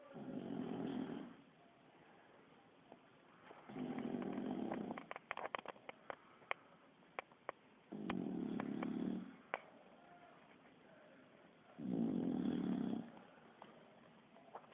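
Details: Kiára, a sleeping Bulldog, snores like a person: four deep, rumbling snores about four seconds apart, each lasting just over a second, with faint clicks and rustles in the quiet gaps.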